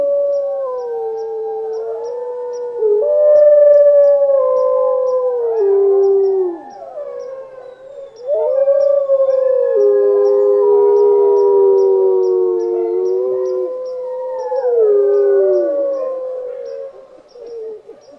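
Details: Several wolves howling together in a layered chorus, long sustained tones sliding up and down and overlapping, with swells of loudness and brief pauses between bursts; faint regular ticking sounds high above.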